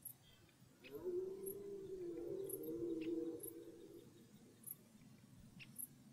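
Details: Red deer in a German forest at the start of the rut: one long, drawn-out moaning roar with a strong harmonic tone, rising slightly, then falling and fading over about three seconds. Faint clicks and soft background rustle.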